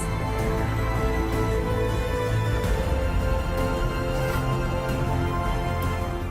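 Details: Dramatic, brooding orchestral music fills the whole stretch, steady and loud, with deep low notes and no animal voices anywhere.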